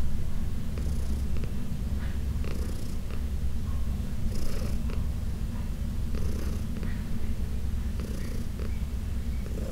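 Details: Massage session with Heidi, a 14-year-old shelter-adopted cat: loud, unbroken low-pitched purring fills the whole stretch, punctuated by soft scratchy rubbing sounds at irregular intervals.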